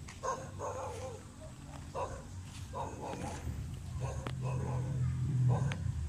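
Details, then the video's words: Belgian Malinois in urban search and rescue canine training on rubble, giving aggressive indications: short sharp barks repeated about every 0.7 seconds over a steady low rumble, with faint human voices in the background. "Belgian Malinois Urban Search and Rescue Canine Training on Rubles with Aggressive Indications"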